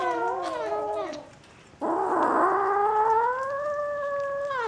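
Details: Bengal kittens from a St. Petersburg cattery, recorded 11 January 2015: a falling meow, a short pause, then a long steady, slightly rising mew lasting nearly three seconds.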